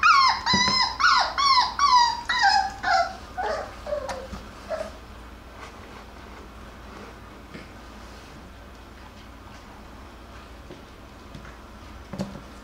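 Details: Jackabee puppies (Beagle crossed with Jack Russell) at play: a burst of rhythmic, descending whines that grow softer and lower for about five seconds, then near quiet with faint rustles and one brief cry at the end.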